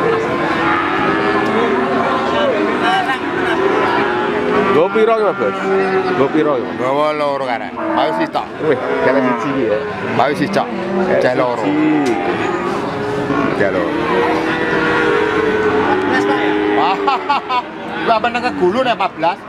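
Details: Cattle at the Wagenan cattle market in Pati, 5 March 2019: several overlapping low moos with rising and falling tones run through the recording, against a steady background of crowd chatter and engine noise.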